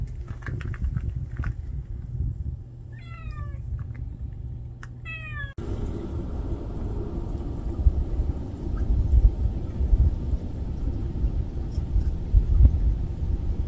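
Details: Stray kitten that cannot live without its mother cat, uttering a few quick high meows in the first seconds before a heavy low rumbling noise takes over.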